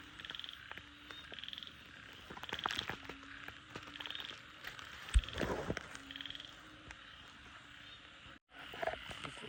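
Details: Frogs after heavy rain at night, heard during a frog-catching outing: repeated short pulsed high trills over a low constant hum, interrupted midway by loud rustling and splashy handling noise, then a brief dropout.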